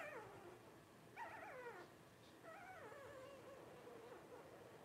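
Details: Blenheim Cavalier King Charles Spaniel puppies, 12 days old, one of five in Paris and Spike's first litter. Three high, quavering, downward-sliding whimpers follow each other closely, the last trailing off into a long wobbling tail.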